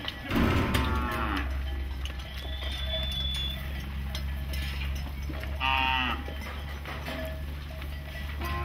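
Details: Cows freed from goshala shelters on the outskirts of Nagpur, India, rushing through the streets: a loud drawn-out moo opens, a second harmonic-rich moo follows about five seconds later, with cowbells clanking throughout over a steady low street rumble.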